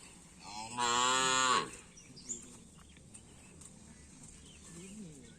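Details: Cattle at a karapan sapi bull racing training session on the Asemanis track in Pamekasan, ahead of the Bayangkara Cup and Bupati Cup. One loud, deep, richly harmonic moo lasts under a second, followed by quieter background noise and faint voices.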